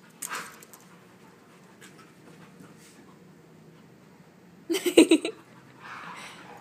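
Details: Husky, Chihuahua and Lab mix pup while wrestling lets out a short, harsh, growly burst lasting about half a second, then breathy panting-like noise and faint rustling.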